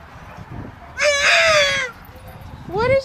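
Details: Male English Bulldog crying because he wants to get past a fence to play with greyhounds: one drawn-out, slightly falling nasal whine lasting about a second, then a short rising whimper at the end, over quiet background.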